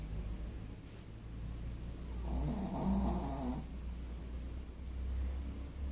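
A Pekingese snores in low, gravelly rumbles, one long raspy inhale standing out in the middle. Quieter breathing noises come before and after it, with a steady low hum underneath.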